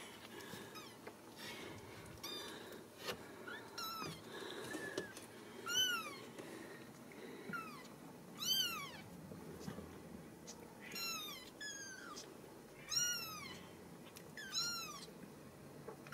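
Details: Ragdoll kittens raised indoors at a home cattery in central Kansas, settled in a drawer, give high, thin, arching mews, repeated every one to two seconds in a steady series, over soft background rustling.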